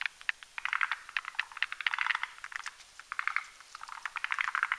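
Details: Forest green tree frogs, Rhacophorus arboreus, males and females gathered at night on a branch over a marshy mountain pond, croaking while whipping a foam nest; dense bursts of rapid clicking, rattling notes overlap continuously from several callers.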